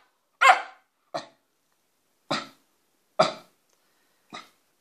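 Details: Wire fox terrier barking indoors: five sharp, separate barks spaced about a second apart, the first and fourth loudest, with quiet between them and Romanian speech just before and after.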